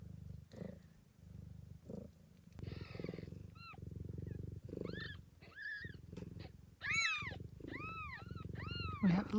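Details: Blue bicolour Ragdoll cat Gambit, with five kittens born so far in Australia, purrs steadily and deeply while her newborns give a rapid run of high, arched squeaky mews in the second half.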